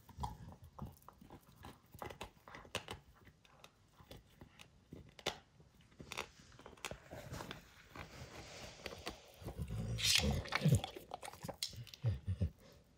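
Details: Dog named Max working over a baseball hide indoors, soft scattered gnawing clicks building to louder crunching and tearing toward the end.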